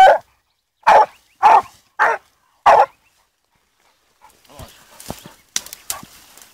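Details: Blue griffon bitch aged fourteen months working a wild boar track: five loud, sharp barks spaced roughly half a second apart, followed by rustling and footsteps.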